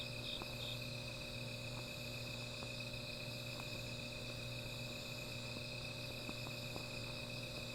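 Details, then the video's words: Insects sing through the night by a small fire, a seamless shimmer of high-pitched trills at several pitches, while sharp isolated crackles pop now and then over a low droning hum. "Sound of Insects"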